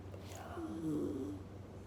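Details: A dachshund in Hong Kong snores in its sleep, giving a quiet, low, wheezy rasp that swells and fades over about a second, with a faint steady hum beneath it.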